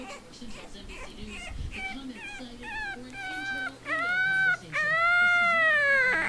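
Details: A 4-week-old male French Bulldog puppy, unhappy while learning to walk, whines in short squeaks that build into long, wavering cries of distress.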